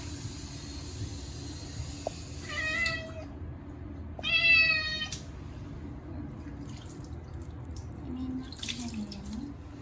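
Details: Short-legged Munchkin cat screaming during its first bath in a year, lathered with a catnip-scented cat shampoo on a hot day: two loud, harmonic-rich wailing meows near seconds 2.5 and 4.3, with running water and faint splashing and voices.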